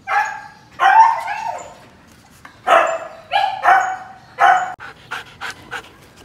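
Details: Show-quality Siberian Husky kept at Melarn Kennel, Philippines, giving loud, strained whining yelps in bursts about a second apart, each wavering and falling in pitch, ending with a quick run of short yips.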